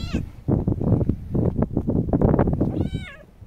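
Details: Kitten out on a windy day; heavy low wind buffeting fills most of the recording, then one clear, high, slightly falling meow near the end.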